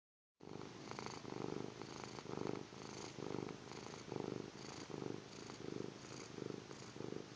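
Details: Sleeping kitten snoring indoors: soft raspy breaths pulse in a steady rhythm, about nine in seven seconds, each a low rough burst with faint higher hiss, after a brief silent start.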